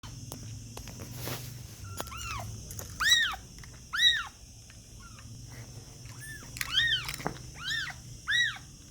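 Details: Kittens mewing: a series of high, arched mews, each rising then falling, about seven in nine seconds with uneven gaps, some doubled, over a low steady background hum.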